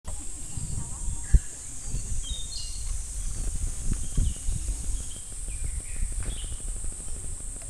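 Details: Cicadas in summer at Namegawa Shrine in Sukagawa, Fukushima Prefecture, Japan: a steady high, hissing drone runs unbroken throughout, while bright tinkling wind chimes ring above low rumbling wind and ground noise.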